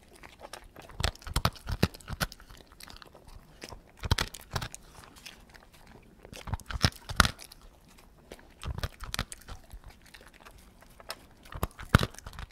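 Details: A dog eats slowly, its chewing heard as crisp crunches and snaps coming in loose groups, some bites loud and sharp, others soft, with short pauses between mouthfuls.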